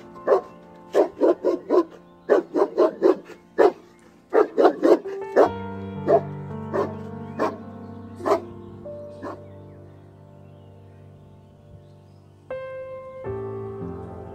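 A pit bull barks in quick bursts of four or five sharp, rough barks. Sustained music comes in partway through, with a few more barks over it.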